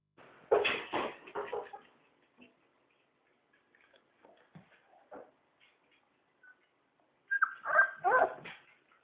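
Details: Labrador Retriever puppy giving short, bright yips and whimpering cries in two clusters, one near the start and one near the end, with a high thin whine in the second; mostly quiet between them apart from faint small sounds.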